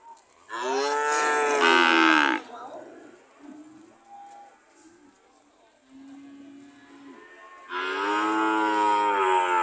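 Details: Cows ready to leave, likely at an animal market, give two long, loud, rough harmonic moos of about two seconds each, with softer, brief lowing between.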